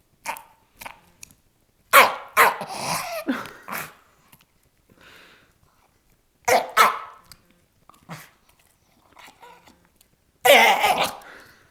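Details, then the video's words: Strange, harsh noises from a Jack Russell Terrier guarding a bone: clusters of rough barking bursts mixed with drawn-out growly sounds, separated by short pauses. "making strange noises while guarding bone"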